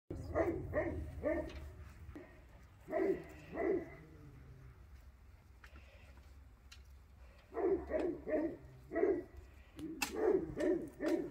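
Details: Pyrenean Mountain Dog puppies meeting alpacas for the first time give sharp, yappy barks in quick clusters of three or four, with quiet pauses between the bursts.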